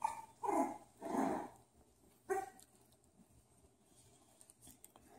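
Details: Bulldog puppies giving three quick, high, yelping barks close together in the first second and a half, then one more sharp bark just after two seconds, followed by quiet background.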